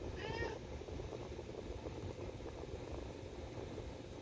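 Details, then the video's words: Domestic cat wearing a harness, meowing because it wants to go for a walk: a single short, rising-then-falling meow near the start, followed by a steady whooshing fan blowing into the microphone. "cat making noises about wanting to go for a walk"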